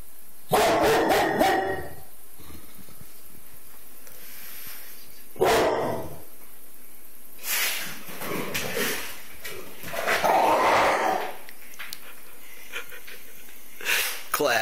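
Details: Pit bull terrier reacting to squirrels outside as part of an ongoing feud; several loud barks and yips come in uneven bursts, some rapid and doubled, over a constant hum.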